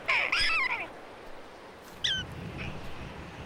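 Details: A prairie dog gives a jump-yip after a red-tailed hawk leaves, signalling that it is safe to come out: a high, squealing two-part yip with sweeping pitch, then a shorter yelp, followed by background music.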